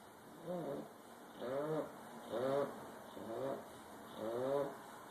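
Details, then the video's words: A bulldog snores with loud, throaty, harmonic rasps. Five strong snores come roughly once a second, each swelling and fading on the breath, over a low background hum. "Bulldog snoring"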